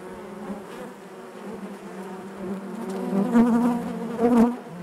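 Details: Hive buzzing of honey bees: a soft, even hum at first, then two loud close buzzes from single bees flying near, the second the strongest, over the constant colony drone.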